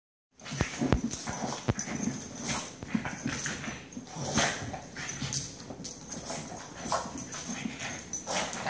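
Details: Two pet dogs going crazy again, excited and noisy: rough broadband yelps and bark-like bursts packed closely together, with scuffling and clattering in between and a constant high whine in the background.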